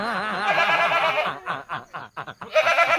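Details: Noisy, chatty goat giving a long, quavering bleat that wavers in pitch for over a second. Short choppy voiced bursts follow, then the bleat resumes, with laughter around it.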